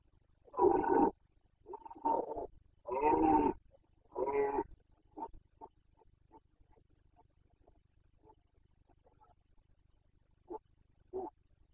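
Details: Carpathian red deer stag during the 2021 breeding season rut: four loud hoarse roars in the first five seconds, then a string of short quieter grunts, and two brief grunts near the end, in an otherwise quiet setting.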